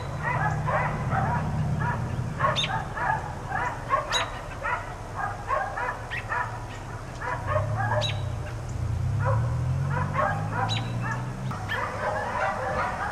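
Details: Four dogs left outside all day keep barking in a steady overlapping chorus, with sharp, quick barks tumbling over one another throughout and a low rumbling hum underneath.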